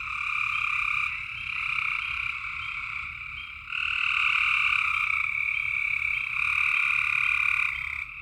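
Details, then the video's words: Chorus of frogs calling at night in Tennessee: dense overlapping trills hold a steady bright drone, growing louder midway and staying strong until near the end, low background hum. "Tennessee frog sounds at night"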